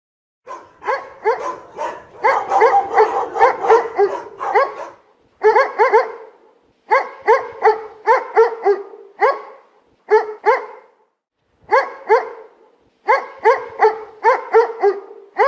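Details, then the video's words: Dog barking in dense, overlapping bursts, several barks packed together, then short volleys separated by brief pauses, repeated over roughly fifteen seconds. "Szczekanie psa"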